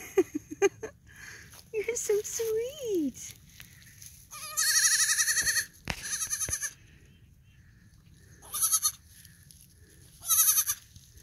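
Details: Male fainting goat kid, three days old and talking a lot, bleating repeatedly in short wavering bursts, mixed with a person's voice and handling clicks.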